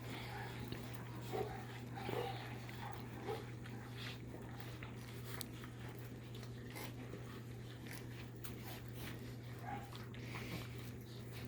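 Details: Litter of almost 5-week-old Labrador Retriever puppies feeding from a big and a little bowl, a large chocolate male in the middle of the little bowl; scattered brief squeaky whimpers and soft clicks over a constant low hum.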